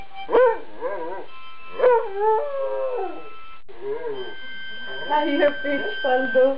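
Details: An Afghan Hound howls along to a harmonica in long, wavering, rising-and-falling notes, seemingly happy with its howling, while the harmonica plays steady tones.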